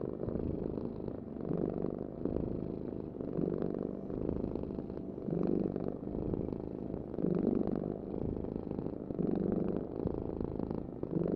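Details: Domestic cat purring: a steady low rumbling vibration that swells and fades with each breath, about every two seconds, continuing throughout with no other clear sounds.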